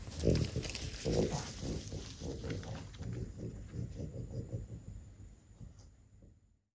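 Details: Pig-like rhythmic grunting snorts from French Bulldogs Ume, five-year-old mother, and Roku, her four-year-old daughter, while eating tomato; low pulses repeat about once a second and fade out toward the end.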